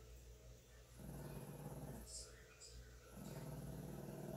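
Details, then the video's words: A 9-pound female Shih Tzu growls in two low, rumbling bursts over a steady hum while a cat grooms her; she growls constantly yet leans in and lets him continue; Shih Tzu. "Shih Tzu has a Love/Hate Relationship With Feline Grooming"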